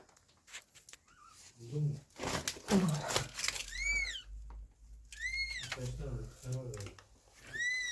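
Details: High, arching meows from an abandoned kitten rescued after two days in -11°C snow, repeated several times among human voices, rustling and handling noise.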